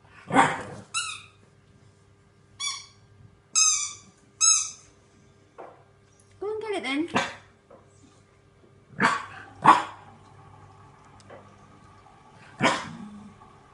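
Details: Barks from French Bulldog puppy Neo, scared of a green washing basket, mixed with a woman's encouraging voice and high whistled squeaky tones; loud yaps come irregularly over steady low hum.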